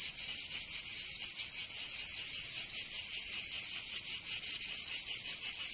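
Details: Summer cicada chorus from Provence in the south of France, a loud shrill buzzing drone throbbing in quick regular pulses, several per second, unbroken throughout.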